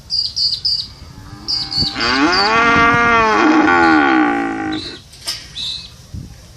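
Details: A cow gives a long, loud moo of about three seconds, steady then wavering lower at the end, framed by quick high chirps of small birds before and after.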